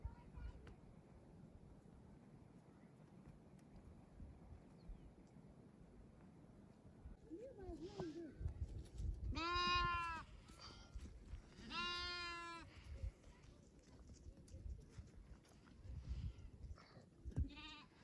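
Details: Baby goats competing over a feeder bottle; two loud, wavering harmonic bleats around ten and twelve seconds, preceded by softer rising calls, with a child's voice and rustling in the background.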